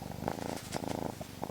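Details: A domestic cat purrs with a low, steady rumbling vibration pulsing in quick, even beats, described as a sound cats make when cheerful and happy.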